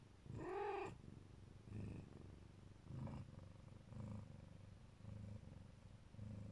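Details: Mother Siberian cat, Neva Masquerade, lovingly protecting her kittens; after one loud opening mew, a deep rhythmic purr swells and fades roughly once a second in time with her breaths.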